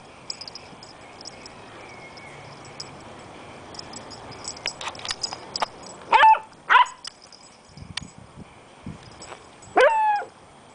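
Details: Beagle and Jack Russell puppies at play: scattered soft sounds, then three loud, high, sharply pitched yelping barks, two close together near the middle and one more later, against low background noise.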